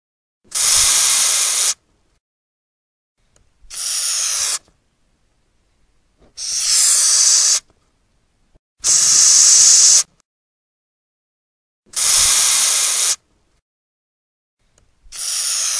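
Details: Gromphadorhina portentosa repeatedly forcing out steam-like hisses, each roughly a second long, six bursts in quick succession with short silent gaps between them.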